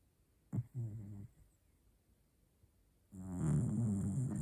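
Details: Snoring pet dog: a short low snort, a quieter rumbling breath, then a louder, rougher, gurgling snore at the end.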